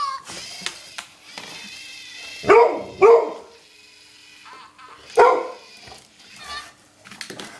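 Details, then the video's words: Golden retriever named Scotty, a 7.5-year-old female, excited over a mouse indoors; three loud barks, two close together near the middle and one later, amid quieter whining and background sounds. "dog goes crazy over mouse"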